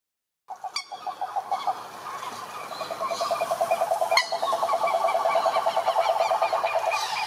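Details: Wild cane toads (cururu) calling at a lake in Brazil's Atlantic Forest: a dense chorus of fast, buzzy pulsed trills starting after a short silence and building steadily, with faint higher bird chirps above.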